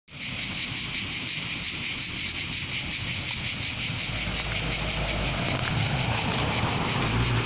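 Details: Summer 2018 swarm of cicadas in trees on the outskirts of Bologna, Italy: a deafening, continuous high buzzing hiss from many insects holds steady throughout, with faint low rumble of city traffic beneath.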